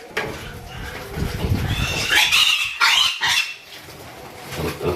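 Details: A farmed pig, one of those reared and sold here, lets out loud shrill squeals that rise and break after a low grunting start, then quietens, with human voices in the background.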